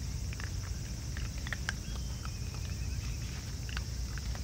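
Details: Raccoon dogs, a whole family feeding side by side, make crisp crunching bites in irregular bursts over a low, constant outdoor rumble, with a faint thin whistle-like tone near the middle.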